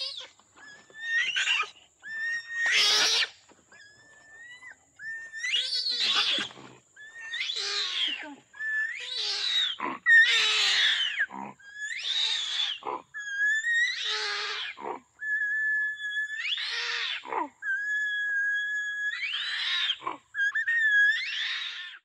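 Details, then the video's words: Orangutan screaming: a series of about a dozen harsh, shrieking bursts with strained, wavering tones, each lasting around one second, separated by short gaps over twenty seconds. "Orangutan Screams & Grunts"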